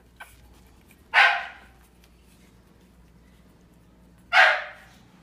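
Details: At dinner time a Boston Bulldog puppy barks twice, harsh and abrupt, roughly three seconds apart, with near quiet between except a soft low hum.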